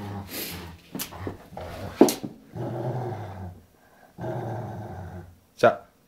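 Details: Two pet Rottweilers, aged 11 years and 3 months, playing together gently indoors; low rumbling growls come in bursts of about a second, with short pauses, while a person talks over them.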